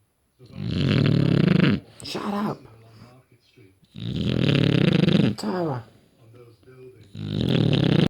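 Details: A rescue British bulldog sleeping indoors gives loud, rough, rattling snores about every three seconds, with short snorting, voice-like sounds between the breaths.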